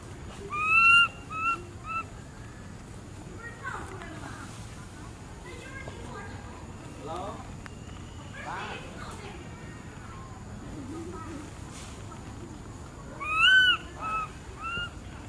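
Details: A very tiny baby monkey cries loudly for its mother, who has gone away, with loud, high, falling wails.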